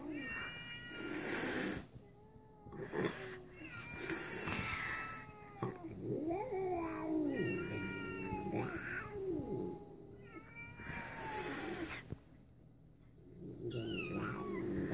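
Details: Domestic cat reacting to cat videos, giving drawn-out wavering meows and caterwauling cries, some rising and falling, mixed with meowing from the videos playing nearby.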